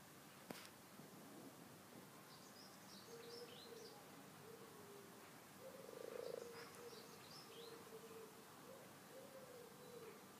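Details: Frogs, twelve in all, in a rustic garden pond: low, droning croaks run in drawn-out trills and swell loudest midway through. Faint high bird chirps sound in the background, and a sharp click comes near the start.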